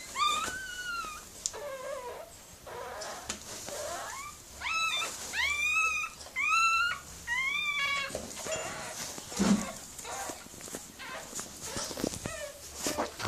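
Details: Miniature Pinscher whimpering during the birth of her puppies: repeated high, strained whines with arched rising-then-falling pitch, coming in bursts about once a second, then fading into softer breathy sounds and faint rustling.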